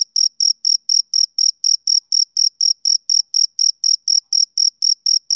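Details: Rhythmic high chirps from a male cricket, about twenty-one brief shrill bursts evenly spaced over a few seconds, each with a faint higher overtone, and nothing else audible.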